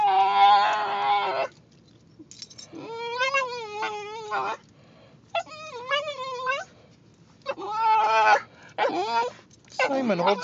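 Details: A Basenji dog riding in a car, vocalizing to signal it wants a potty break: several drawn-out, wavering yodel-like howls with bending pitch, separated by short pauses, the last one rising and falling sharply.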